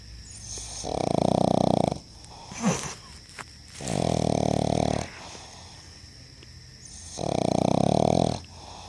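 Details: Snoring pug Mati: three throaty, rattling snores about a second long, evenly spaced roughly three seconds apart, with a short snuffle between the first two.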